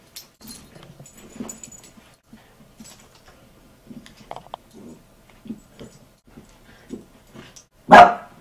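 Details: Two Bichon Frise dogs play fighting over a toy that one took from the older dog. Soft, low grumbling growls come in short bursts every half second or so. One sharp, loud bark sounds near the end.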